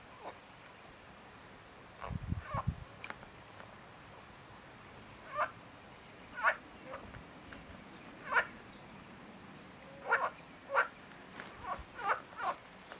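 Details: Marsh frog giving brief rattling croaks, spaced irregularly and becoming more frequent towards the end, with a short burst of low rumbling noise early on.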